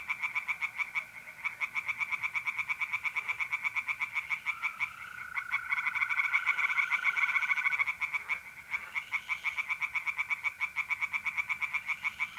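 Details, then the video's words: Tree frogs calling from a pond after dark in mid-April, north-east Italy: steady runs of rapid, grating pulses, layered callers overlapping, with mole crickets trilling continuously in the background. "relaxing singing tree frogs in pond and trilling mole crickets by night"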